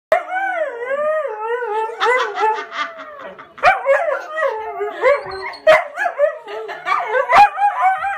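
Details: Three huskies, one a little over two years old, one six months old and one three and a half years old, howl along while a man plays harmonica; long wavering howls rise and fall, joined by several voices, with brief sharp clicks between phrases.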